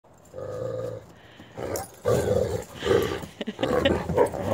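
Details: White wolfdog Coco, a female, snarls while two brother dogs, Jake and Bob, gang up on her in rough play, hackles raised. Harmonic growls and snarls come in several bursts over a few seconds, and a person urges her on.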